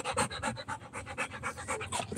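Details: Rottweiler puppy panting hard during play, about four quick breathy puffs per second, each a short airy burst, with no other sounds.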